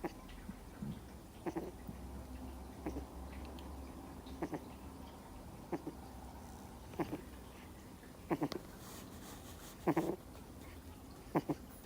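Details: Two-month-old Miniature Schnauzer puppy fast asleep and snoring: short soft snorts roughly every one and a half seconds over a low steady room hum, a few louder double snorts near the end.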